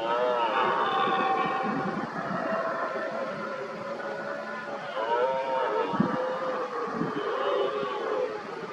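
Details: Rutting red deer stags roaring as they work each other up against an injured dominant stag; long, wavering, moaning roars overlap one another almost continuously, with a few low thuds near six and seven seconds.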